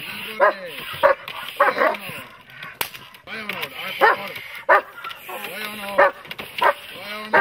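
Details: Dog in protection training, giving forceful single and paired barks at uneven intervals of roughly a second, with a lower voice-like murmur between some barks.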